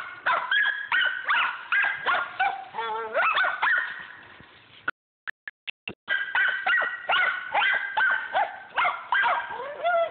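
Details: Squirrel dog Rock on the trail of a squirrel at Millen, giving a steady stream of sharp, ringing barks mixed with wavering, bawled howls, a second of near silence with a few clicks midway, then the barking resumes just as fast.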